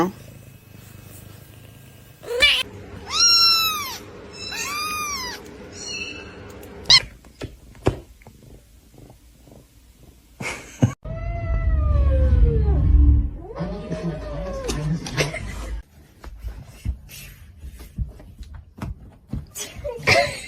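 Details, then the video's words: Domestic cat from a compilation of funny cats, giving a quick run of five short arched meows, a pause, then two longer drawn-out meows over a low rumble, with scattered clicks and light handling noise. "funny cats talking"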